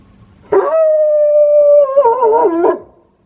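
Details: Quirky-voiced wolfdog living in a home holds one level, clear howl for over a second, then lets it wobble and warble up and down before ending abruptly; quiet background otherwise.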